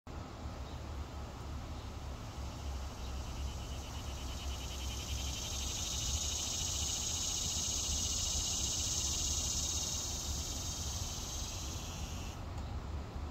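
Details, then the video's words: A cicada in New York sings a steady, shrill buzz that swells and then cuts off abruptly. "NY Cicada Sound"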